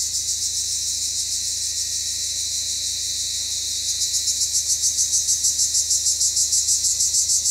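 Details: Cypriot black cicada calling in summer sun, a loud, continuous high buzzing that turns into a rapid pulsed rattle of about three pulses per second in the second half.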